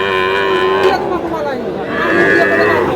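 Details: Sahiwal bull calves at the Aftabganj cattle market in Sherpur, Bangladesh, on a Tuesday market day: a drawn-out harmonic moo lasting about a second, then a second lowing call rising near the end, over a background of crowd chatter.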